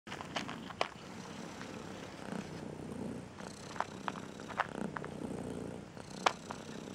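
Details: Striped female cat, said to be angry and depressed, purring while a song she dislikes plays next to her ear; a low, rough continuous purr broken by scattered sharp clicks and taps.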